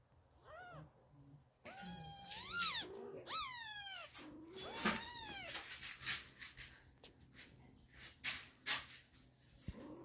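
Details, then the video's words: Fighting kittens inside a room give a short rising mew, then a run of loud, wavering caterwauls that swell and fall, ending in scuffling, thumping noises from the tussle. "kitten bloodshed in vicious battle"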